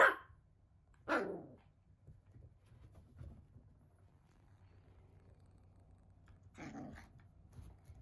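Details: Shiba Inu puppy, 55 days old, in a multi-dog home with an older mame shiba, gives short sharp barks at the start, near one second and again around six and a half seconds, over a quiet indoor background with a low hum.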